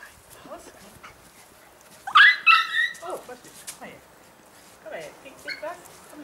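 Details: Lhasa Apso puppies bred by Kennel von Tri-Song and Kennel Othangi's in Schleswig-Holstein, Germany, giving a burst of short harsh yips and squeaky whines in quick succession, with softer scattered squeaks before and after.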